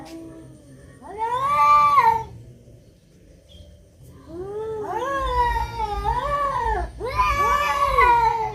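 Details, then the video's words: Cats fighting, trading long harmonic yowls: a rising-falling wail, a quiet gap, then a series of arched, wavering howls growing louder and more strained, ending in an intense drawn-out cry over low rumbling background noise. "Kucing berantem, Kucing berkelahi"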